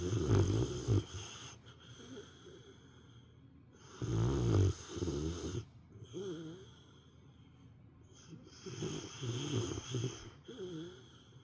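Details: Female pet dog asleep during nap time, snoring like an old man: deep rasping snores around one, four and nine seconds, each followed by wavering, whistly exhales, quiet gaps between.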